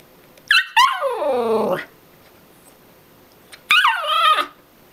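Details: A dog protesting against going into its crate for an afternoon nap, wanting to keep playing with a toy mouse; two drawn-out whining howls, each starting high and sliding down in pitch, separated by a short pause.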